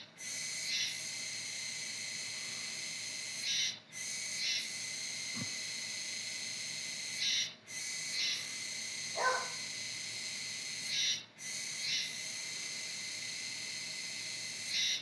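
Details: Autumn Kuroiwa tsukutsuku cicada, heard until around November: long sizzling 'juwa juwa' buzzes about three to four seconds each, each opening with a louder accent and separated by short silent breaks, with a faint thud in the background.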